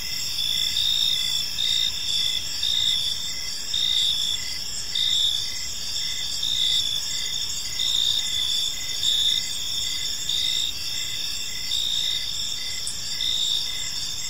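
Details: Evening in a park with crickets chirping: continuous high-pitched ringing, swelling into brief pulses about once per second. A soft low background rumble runs underneath, with no other clear sounds.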